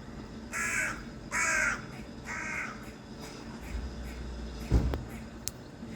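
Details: A squirrel on top of a tree branch gives three harsh, rasping calls, each about half a second long, in quick succession.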